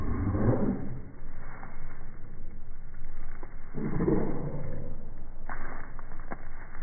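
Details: Corgi barking, played in slow motion so the barks become two deep, drawn-out groaning bursts that the owner says sound like a tiger.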